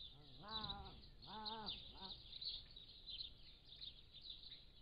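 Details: Three quick arched, harmonic mews in under two seconds from captive Pallas's cat kittens, 3 to 7 weeks old, recorded by a motion-activated trail camera, with constant high chirping of birds behind.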